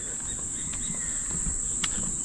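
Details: Crickets along a river in Australia around eight at night, a peaceful walk with few people about; an unbroken high thin trill continues beneath soft rustling and a couple of brief clicks.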